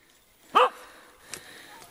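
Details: During a wild boar hunt in the Czech Republic, a two-year-old Kishu Inu lets out a single short, forceful bark, followed by quiet outdoor ambience and a faint click.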